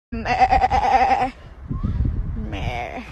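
A sheep gives a loud, wavering bleat, then starts a second one after a short pause.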